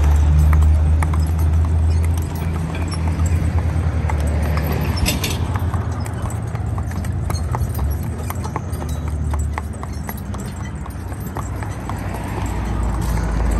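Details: Spotted draft/Haflinger cross driving team, an eight-year-old mare and her four-year-old son, both 14 hands: steady clip-clop of hooves in quick repeated sharp knocks over a deep continuous low rumble.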